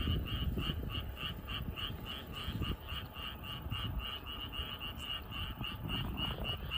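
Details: Frogs croaking in a flooded rice field in the evening: a fast, steady train of short, bright pulses, roughly four per second, runs without a break under a dense hum of other frogs.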